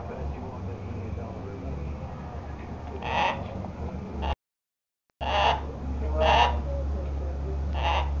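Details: Bison talking: American bison giving four short, rough, croaking grunts about a second apart, over a steady low rumble of wind and a brief dropout.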